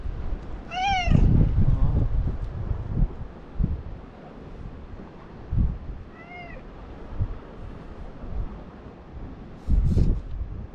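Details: Talkative stray cat, filmed alongside a lonely white cat living among tetrapods: two short, clear, arching meows, the first near the start and the second about five seconds later, over low rumbling thumps and handling noise.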